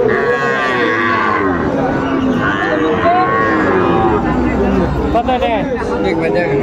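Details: Sahiwal cattle at a cattle market in Comilla, Bangladesh, on 19 September 2024, where farmers bargain over Sahiwal bulls and calves; low drawn-out moos rise over dense crowd chatter and haggling voices.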